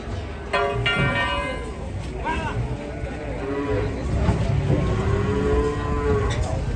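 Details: Agitated cattle raging and climbing onto a truck in Indonesia, giving drawn-out harmonic moos amid crowd noise, a steady high-pitched whine throughout and general commotion.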